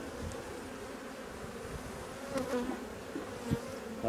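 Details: Honey bee colony handled while drone-laying colonies are replaced, frames and nectar in the hive: continuous low buzzing drone over about four seconds, broken by several dull knocks and a louder thump near the finish.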